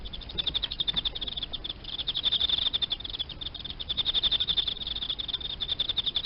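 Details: Emma field cricket kept indoors as live feeder insect, steady chirping: rapid trains of high, pulsed chirps repeated almost without pause, rising slightly in loudness, over faint low hum.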